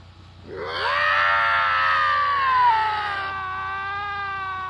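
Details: Pair of lynx in a screaming match, one long drawn-out wail that swells quickly, holds a strained tone, then slowly falls and fades into a lower, steadier moan.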